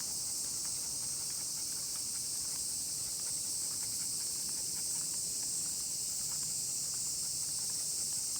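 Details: Constant shrill hiss of a crowd of cicadas, steady throughout, heard while a miniature pinscher is walked; irregular footsteps and small scuffing noises sit under the buzz.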